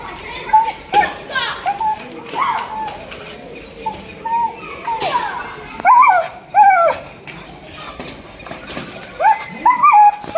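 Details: Excited Rottweiler reacting after watching children play, giving short, high, wavering whines and moaning noises in bursts, rising and falling, mixed with people talking and children's voices nearby.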